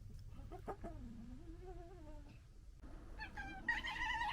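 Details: Foxes from a local family fighting and disagreeing: a drawn-out, quavering whine that slowly falls, then a burst of harsher, harmonic squeals and chattering at the end over low background rumble.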